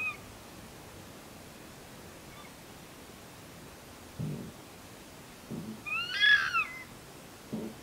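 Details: Red fox in Conifer, Colorado, calling in the morning, possibly during a territorial dispute between foxes; one harsh, high, wavering bark about a second long stands out, with faint low thumps before and after over quiet background.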